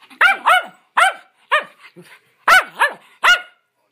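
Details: Schnauzers from a rescue, three adopted dogs playing together, barking in quick doubled bursts: about seven loud, bright barks within four seconds, with a short soft growly sound in the gap between them.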